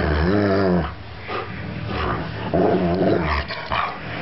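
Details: Playful 3-year-old Alaskan Malamute named Max letting out two drawn-out, rich, wavering growl-moans, one at the start and another about two seconds later, with softer huffs and rustling between.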